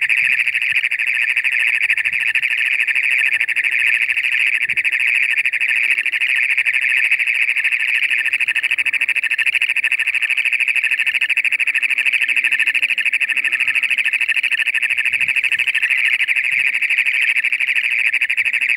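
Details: Loud chorus of toads giving their mating call in toad season as moisture comes in, high steady trills overlapping into one continuous buzzing drone; toad.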